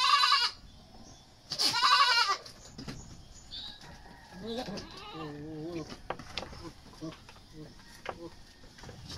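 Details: Goats handled for deworming ahead of weaning at around three to four months in the Philippines; two harsh, loud bleats open the recording, followed by a softer wavering call and a person speaking quietly.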